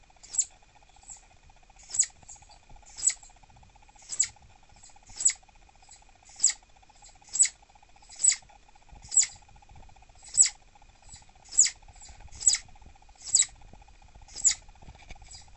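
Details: Captive female southern flying squirrel, irritable and refusing treats in the evening, giving sharp, very high-pitched chirps roughly once a second, about fifteen calls in a row, over a steady low electrical hum.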